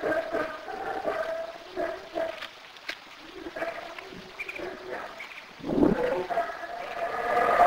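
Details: Black howler monkey in Belize giving a series of hoarse, harmonic howling bursts with a rougher, louder rise near the end, amid outdoor background sound.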